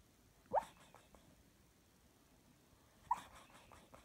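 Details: Jake, a Jack Russell Terrier, dreaming, gives two short, faint whimpers that slide upward, about two and a half seconds apart. Soft breathing noises come between them in a quiet room.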